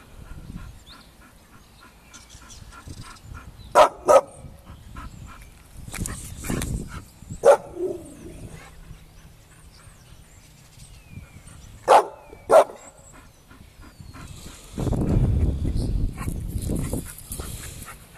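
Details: Bull Terriers Bubbles and Joy in a fight, giving brief loud barks in pairs with long gaps between them, among soft scuffling sounds, ending in a stretch of rough, noisy rumbling.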